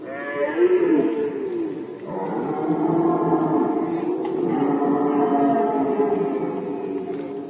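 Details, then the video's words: Deep, sustained roaring from a red deer in rut season, Poland 2020, one groaning bellow flowing into a second long, steady, throaty roar that fills most of the clip. "Rykowisko jeleni, Rut season of Red Deer"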